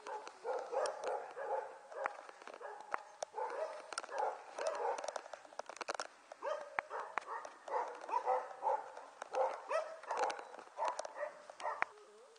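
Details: Litter of Border Collie puppies, six weeks old, recorded in January 2013, yipping and squealing almost nonstop in overlapping bursts, with scattered clicks and knocks in between.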